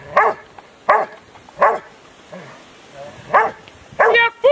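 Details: Rottweiler Huck dei Re Magi during section C of an IPO3 trial, Rottweiler Club Italiano, Rome, 18 November 2012; several forceful barks with a short pause, then a higher, tonal sound at the end.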